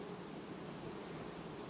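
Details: Honey bee colony in August, quietly replacing its queen: a steady, dense hum with the energy spread broadly through the low and middle range, even and unbroken throughout.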